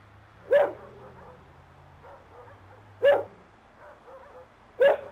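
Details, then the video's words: Watchdog barking as an alert on an approaching intruder before he reaches the facility fence: three single sharp barks, roughly two seconds apart, with a low steady hum beneath. "Watch dog Alarm system"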